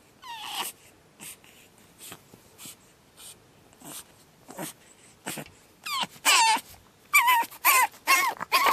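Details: Pug puppy Batman on his second night, starting with soft snuffles and faint whines that build into loud, shrill, quavering screams repeated in quick bursts over the last few seconds.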